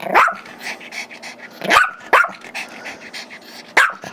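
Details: Sharp, high yips from a five-year-old Chihuahua/Yorkie mix named Gizmo, demanding the squeaky toy that his two-year-old Yorkie brother holds; four quick barks, two close together at the end, over indoor hum.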